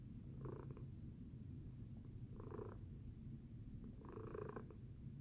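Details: Purring from Tacy, a pet cat resting after breakfast: a deep, even rumble punctuated by three breathy surges at about 0.6, 2.5 and 4.3 seconds, nearly two seconds apart.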